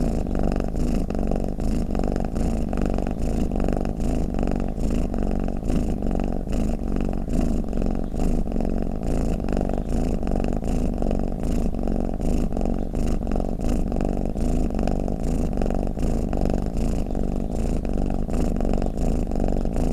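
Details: Twenty seconds of a pet cat's snoring purr: a deep, vibrating drone that pulses rapidly and never stops, steady in loudness, with no background sounds.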